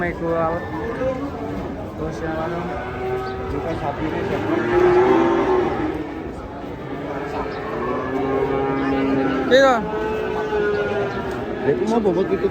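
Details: A large cow being unloaded from a truck moos in long, wavering bellows that swell in the middle, mixed with shouting people and a sharp clatter near the end.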